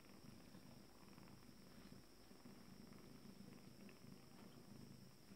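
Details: Cat purring as calm returns around its first litter at 26 days: a steady, low, rumbling purr running without break, with a constant faint high hum behind it.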